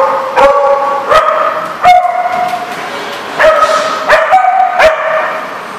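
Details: Dogs on April 21, 2014: harmonic whining yelps that slide slightly in pitch, broken by abrupt sharp barks and clicks roughly every second, over a steady background hiss.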